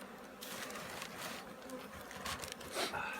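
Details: Hum of a honey bee colony getting ready for winter at the Handari apiary, a dense rough buzzing with scraping noises and a few thin whistly tones near the end.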